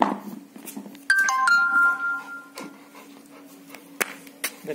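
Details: A doorbell-like ding-dong chime with a few tones and a soft voice in a small room, no animal sound heard.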